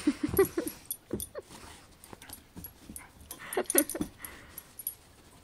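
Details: Basset hound giving short, harsh yelping barks in quick bursts, a cluster in the first second and more around four seconds, with sparse gaps between.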